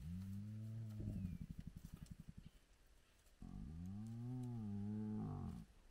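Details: Spotted hyena clan at its den site with lively cubs, morning at sunrise; a low droning call breaks into a rapid pulsed stutter, then a second rising-and-falling moan with rich harmonics.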